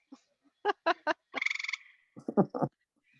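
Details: Two gray treefrogs in Maine calling back and forth from separate trees give a short, fast, musical trill, like a trill under water, between bursts of human speech; a call often heard in late summer.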